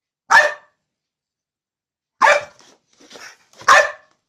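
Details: Pissed-off bulldog letting out three loud, rough barks indoors, the first alone, the last two close together with a short lower grumble between them.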